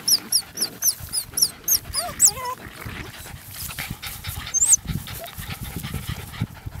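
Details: Two Parson Russell Terrier puppies, about eleven weeks old, playing together before one is collected; high squeaky yelps repeat quickly in the first two seconds, then wavering whines, a later sharp squeal, with scuffling throughout.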